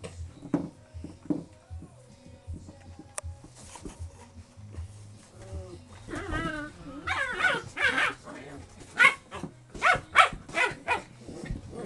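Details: Four-month-old English Springer Spaniel puppies playing with a pop bottle on a porch; rough growls and short yappy barks come in bursts, growing louder in the second half, mixed with a person talking to them.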